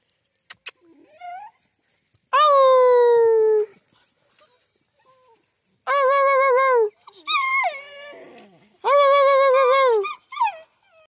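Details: Central Asian Shepherd puppies in Michigan, several sustained high whimpering cries about a second long each, some sliding downward, with softer yips and rustling between them.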